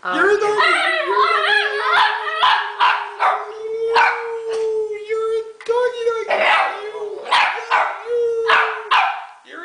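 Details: Hunter, a pet Italian Greyhound who enjoys singing from time to time, holds a long, steady mid-pitched howl with slight wavering, sustained across most of the stretch, while human voices break in over it in short bursts.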